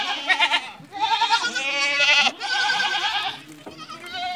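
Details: Farm goats in Ajmer, Rajasthan, Barbari and Sojat does that have kidded once or twice, give close, loud, quavering bleats, one nearly continuous wavering cry after another, with little background noise.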